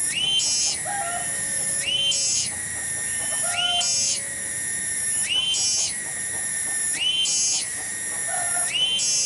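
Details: Garden cicada (tonggeret) at Kampung Bunder, Cibening, singing loudly. A penetrating buzzy whine climbs into a brighter phase and falls back roughly every 1.8 seconds. Soft, low whistled bird notes are heard faintly beneath it.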